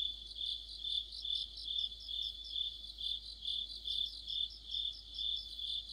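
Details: Autumn insect orchestra of crickets and companions by a streetlight, a continuous shrill trilling that rises and falls in regular pulses about twice each second, extra chirps flickering on top.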